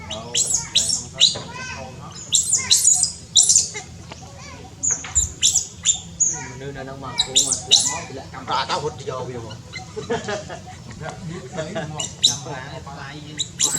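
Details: Newborn baby monkey among monkeys in tall trees in Cambodia. Overlapping shrill squeaks and squawks burst out repeatedly, some with a harsher, fuller tone, while a low hum runs underneath.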